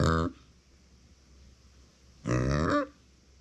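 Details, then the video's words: Uni, a female micro pig born September 2020, crying when no one is nearby: two short, hoarse, harmonic squealing cries, the first at the start and the second about two seconds later, in a quiet indoor room. "そばにいないと鳴く マイクロブタ"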